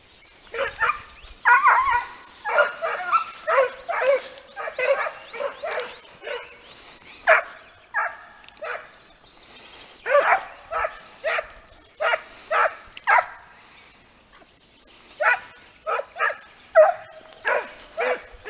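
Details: Segugi Italiani hounds trained on hare giving full cry: a dense, continuous chorus of yelping, ringing bays from several dogs, overlapping in quick bursts with brief lulls throughout.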